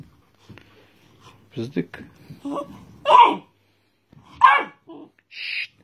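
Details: Young red Doberman puppy, about 54 or 55 days old, indoors at home, gives two sharp, loud yapping barks about a second apart, with soft human speech before them and a hushing 'shh' afterward.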